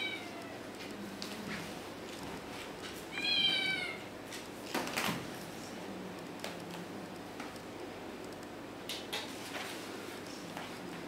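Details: Kittens climbing a curtain; one short, clear, tonal meow rising then falling near the third second, with soft scratching and rustling around it and otherwise quiet surroundings.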